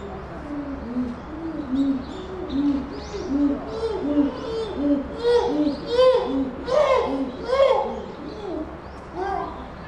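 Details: Captive chimpanzee at Tennoji Zoo, Japan, December 2021: a regular series of hollow hoots, roughly one every second, rising in pitch and building into louder, shrill screaming cries before subsiding, over constant background hum.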